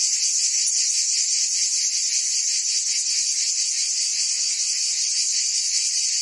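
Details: Cicadas singing in a summer chorus in Provence, France: a dense, unbroken buzzing hiss high in pitch, with a faint pulsing texture and steady loudness throughout, no other sounds.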